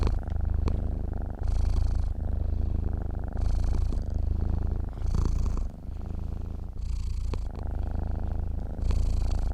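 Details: Sleeping cat purring steadily, a low continuous rumble rising and falling with each breath, louder breathy phases recurring roughly every one and a half seconds with soft clicks between.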